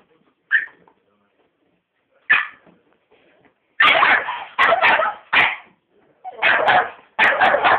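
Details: Pet Staffordshire Bull Terrier that hates vacuum cleaners, barking while attacking a hoover indoors: two short isolated barks, then a fast burst of harsh, loud barks in clusters of two or three.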